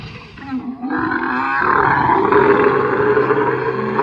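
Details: Camel calling while its owner holds it and gives it medicine: a loud, rough, gurgling roar that swells after the first second and continues unbroken, harsh and throaty, to the end.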